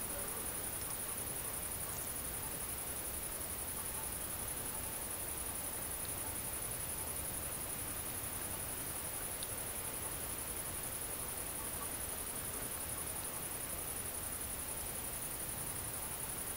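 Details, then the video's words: Tettigonia viridissima, the great green bush-cricket, recorded at night in the central French countryside on 22 August 2016 while mating: a long, even, high-pitched rattling buzz that never pauses, set against continuous hissing background noise. "GRANDE Sauterelle Verte/Accouplement ! BRUITX"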